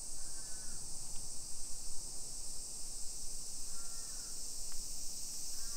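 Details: Summer cicadas droning high and steady over a Nisshin residential hillside near Nagoya, Japan, 1 PM, 28 July 2021, while a crow caws three times in short hoarse bursts, with low traffic rumble underneath.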